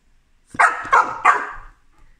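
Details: A female chocolate Labrador Retriever learning to speak on command gives three quick, sharp, forceful barks in a row when cued.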